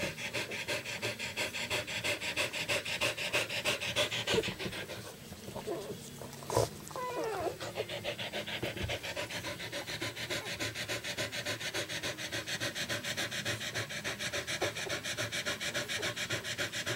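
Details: Rapid, steady panting from a puppy of the Moon litter as it attempts to stand and walk one morning. Breathy pulses repeat about three times a second throughout, briefly broken by a rustle and a soft knock midway.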